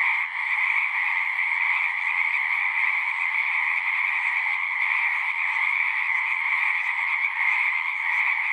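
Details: A continuous chorus of many singing frogs forms a thick, high-pitched trilling wall of sound. It holds steady apart from one brief dip near the start, with no other voices.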